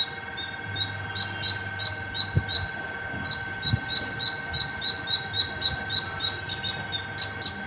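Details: From the top of a terrace a squirrel keeps calling; a few scattered squeaks first, then a tight run of high chirps nearly four per second, a faint hum underneath.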